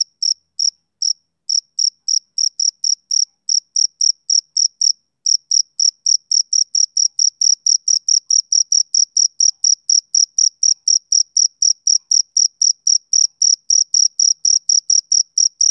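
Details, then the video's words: Rhythmic chirps of a male cricket on a summer evening, shrill and ringing, about four per second, with a few short gaps early on before settling into an unbroken, even pulse. "Cricket Chirping Sound Effect"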